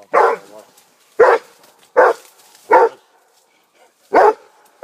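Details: Fifteen-month-old Rhodesian Ridgeback Armani barks with a wild boar nearby: single loud, abrupt barks repeated roughly once a second, with quiet gaps between.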